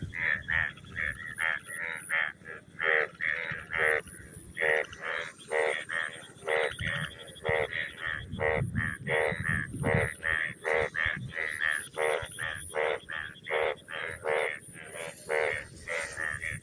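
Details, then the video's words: Frogs croak after rain in a crop field, a dense chorus of short, harsh, rapidly repeated notes, with faint insect hum above. "Sound of frog after rain in the field."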